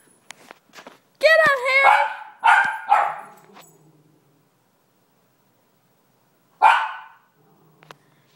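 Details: One-year-old Miniature Schnauzer barking at a dog on TV indoors: a cluster of loud, sharp barks, one with a whiny rising-falling tone, then a pause before a final bark; faint clicks and background sounds between.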